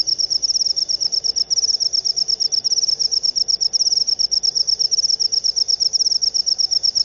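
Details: Cricket known as jangkrik upo trilling in high, rapid pulses, grouped into short chirps repeated steadily with tiny breaks, against a quiet background.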